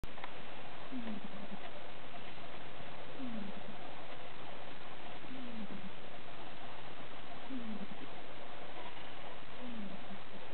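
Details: Siberian cat kittens of the Caleana litter, five days old, recorded in 2012: faint, short, descending mews repeated about every two seconds, five in all, over a steady low hiss.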